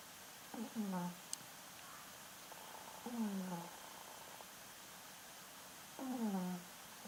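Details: Indoors, a Yorkshire Terrier snores for the first time. Three whistled, downward-sliding breaths come about three seconds apart, with soft room noise between them.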